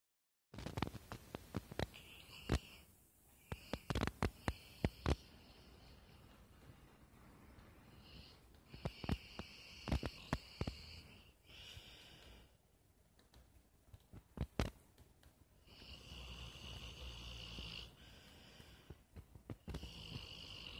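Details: Sleeping dog snoring loudly indoors in a small room: drawn-out raspy, hissing breaths lasting one to two seconds each, returning several times, mixed with many sharp clicks and taps and a low rumble.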